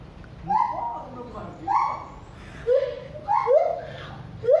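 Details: Siamang at Cilodong, Depok, calling with a series of loud, rising whooping hoots about once a second, each sliding up and then breaking off, with a brief human voice at the start.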